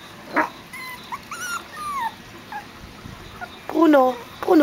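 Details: Biewer Yorkshire Terrier puppy Bruno, seven weeks old, training in a breeder's garden to cross a pond bridge and suddenly frightened halfway over; thin high whimpers, several short whistled whines rising and falling, ending with a woman's encouraging voice.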